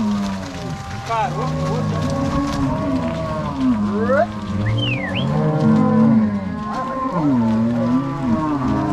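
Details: A herd of Angus-Nelore cross cows, driven by three cowboys and six dogs from the corral to pasture at Fazenda São Matheus, Ortigueira, Paraná, on 16 March 2022, lows continuously: layered drawn-out moos, some sliding upward, plus brief high whistles.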